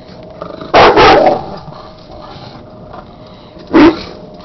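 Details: Male dog barking at his beer keg, which is frozen to the ground and he does not like it: two loud, harsh barks about three seconds apart, with a man talking to him between them.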